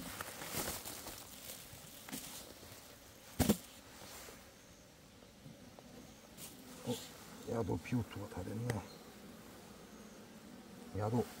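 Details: Asian honey bee colony in an opened hive on 26 September 2023, bees digging out wax debris, which the keeper says they do to build new comb; a low hum under sharp knocks and clattering hive handling, with brief human speech.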